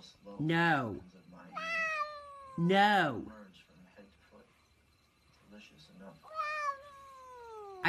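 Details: Pet cat in a funny cat and dog compilation meowing loudly several times: short rising-falling meows, then longer wails sliding steadily downward, with a person's voice speaking in between.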